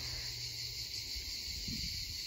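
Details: A dense chorus of cicadas in the woods at Gelendzhik in 2020 makes a steady, shrill, sizzling drone that never pauses, roosters also calling, with faint low rumbling beneath.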